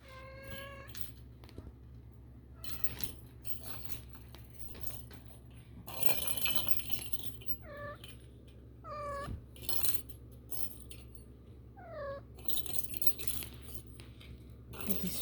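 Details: Kittens 4.5 weeks old exploring their world indoors, giving a series of high, drooping meows rich in overtones, some spaced a few seconds apart, among bumps, rustles and handling noises.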